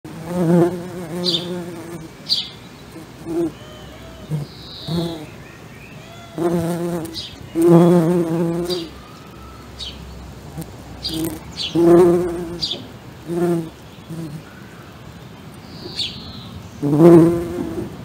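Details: A western honey bee forages on flowers, its low, humming buzz swelling and fading in bursts as it flies close and away again, with birds in the background.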